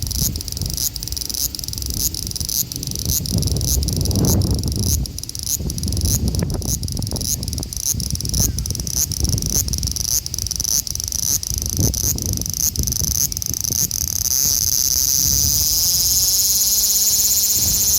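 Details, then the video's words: Male large brown cicada (Graptopsaltria nigrofuscata) calling in Osaka city, Japan, on 5 August 2019, recorded on an Xperia XZ1 phone: a dense, steady, sizzling high buzz with regular pulsing, changing texture near the end, over low handling rumble. "油蝉 large brown cicada"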